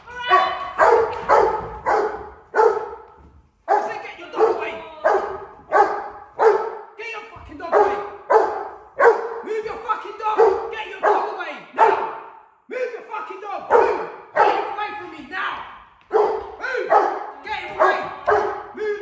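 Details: Rottweiler in controlled aggression training facing a challenger decoy, barking in long runs of harsh, evenly spaced barks, several per second, broken by brief pauses, with a handler's voice mixed in.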